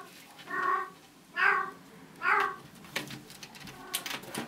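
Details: Bengal cat Bella, a mother with kittens, singing her special song while in heat indoors: three drawn-out, harmonic meows roughly a second apart, each rising then falling, followed by scattered clicking and tapping noises.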